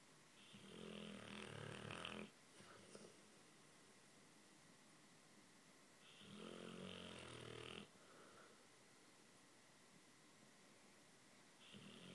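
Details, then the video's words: Sleeping dog Luke, dreaming and twitching, gives slow rhythmic snores: raspy, noisy drawn-out breaths lasting about two seconds, recurring every six seconds or so, with near silence between them. "Luke snoring and dreaming"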